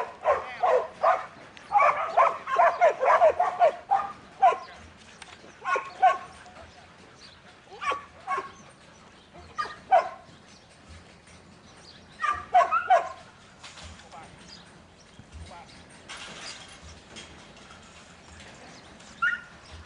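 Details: A young male Border Collie named Buttons, in training as a 2012 futurity prospect, gives a fast burst of barks at the start. Scattered single barks and pairs follow, with long quieter gaps between them.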